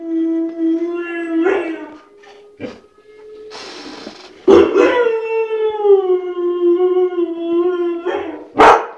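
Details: White shepherd dog vocalizing with long steady harmonic howls and whines, broken by a few sharp bark bursts near the middle and the end.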